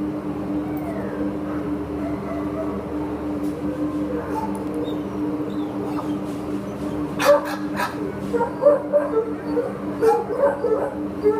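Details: Short-coated Chihuahua up for adoption: a steady mechanical hum at first, then from about seven seconds a run of sharp, high yappy barks in quick uneven bursts.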